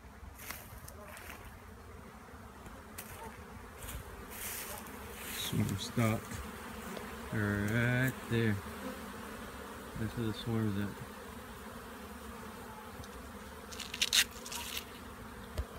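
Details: Western honey bee swarm spotted beside a bee yard, being tanged to stop it so it can be hived: steady low buzzing hum throughout, broken by loud ringing metallic bangs mid-clip, with a man's voice and rustling.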